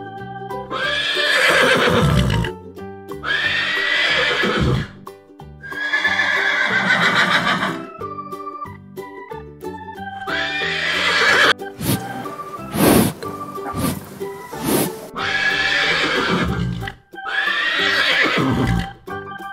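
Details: Horse on a farm neighing repeatedly. Six or so shrill, quavering whinnies each last about two seconds and drop in pitch, with short gaps between them. Music plays in the background, and a few sharp knocks come midway.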